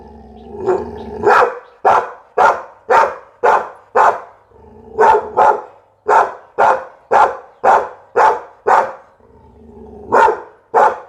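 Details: Pit Bull barking: a low grumble opens, then a regular series of about eighteen sharp, loud woofs, roughly two per second, broken by one brief pause midway.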